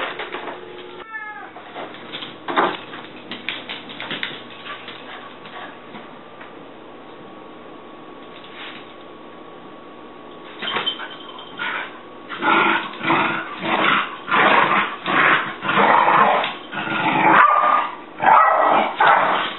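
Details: Tabby cat Tigger hidden inside a bag while a Jack Russell is nearby: a short harmonic meow early on, a long quiet stretch, then a run of loud bursts about once a second with rustling.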